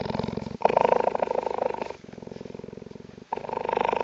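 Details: Newly arrived cheetah on its first visit purring steadily, with fine, fast, regular pulses throughout. It is louder in the first half and the final second and softer through the middle.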